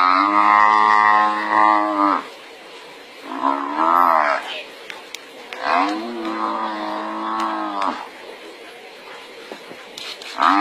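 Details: Wild buffalo under attack by a lion pride while a second buffalo intervenes; repeated hoarse, moaning bellows, some wavering and falling in pitch, separated by brief gaps of quieter background noise.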